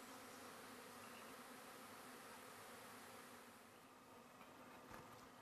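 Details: Russian honey bees at midnight after a four-hour drive, relocated to the base of a large eucalypt near Apollo Bay, Australia; a constant humming drone that softens slightly in the second half, with faint clicks.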